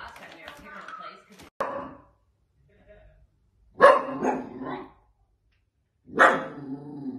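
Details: Playful Dachshund, a sausage dog, giving short, harsh barks in a small indoor room: three loud bursts spaced about two seconds apart, with a person talking before the first bark and quiet pauses in between.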